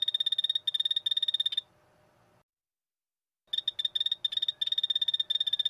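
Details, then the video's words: Short, irregular clusters of quick high chirping pulses from a poison dart frog, separated by brief gaps, pausing for about a second before the choppy pulse groups return. "5 popular poison dart frogs - call and sound"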